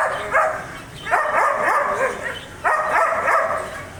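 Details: Three forceful, rough barks from a German Shepherd dog, spaced over a few seconds, with a softer whine-like tail after the second.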